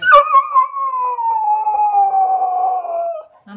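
A Cocker Spaniel cries with one long, drawn-out whine that slowly slides downward in pitch.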